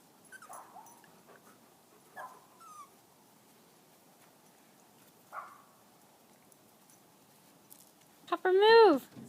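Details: Five-week-old poodle-shih tzu mix puppies on grass for the first time give a few scattered high whines, ending in one loud, drawn-out falling whimper with rich overtones.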